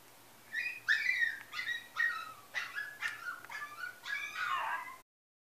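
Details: Female Yorkshire Terrier whining; a series of high, falling whimpers and yips, roughly seven bursts over four seconds, ending in a longer drawn-out whine before silence.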